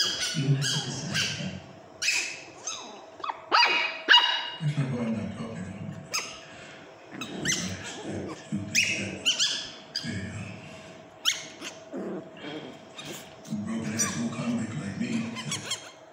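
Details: Pomeranian puppies playing on a sofa bark in shrill, rapid yaps in uneven clusters with breathy squeaks between, and low, rough growls rising under the barking at intervals, over a faint steady background hum.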